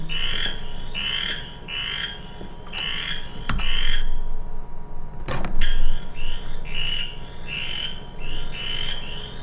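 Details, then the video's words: Western chorus frog field recording from an archive of threatened species' songs, a species surviving only at a few sites on Montreal's south shore; short rising trilled calls repeat about every half second, with a pause and clicks midway. "Donc, je vais vous faire entendre ici le chant des 2 rainettes faux-grillons, en commençant par la rainette faux-grillon de l'Ouest."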